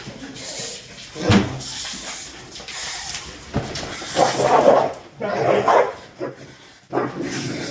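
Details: A dog barking while guarding the home: a few short, rough bark bursts amid human exclamations and household noise.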